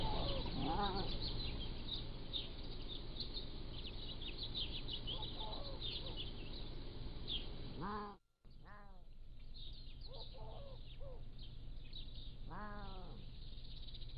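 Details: Pallas's cat kittens, 3 to 7 weeks old, caught by a motion-activated trail camera: three arched, harmonic-rich mewing calls well apart, over steady low hum, with chirping birds in the background.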